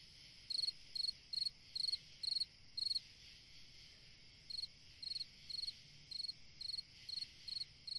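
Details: Summer-night cricket song: pulsed high chirps roughly every half second, a run of six, a pause of about a second and a half, then a longer regular series, with a faint background insect drone.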